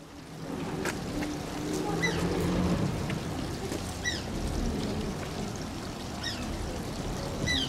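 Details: Asian small-clawed otter named Shishimaru at Oji Zoo, giving faint, high arched squeaks with overtones every second or two over steady pouring water and low murmuring.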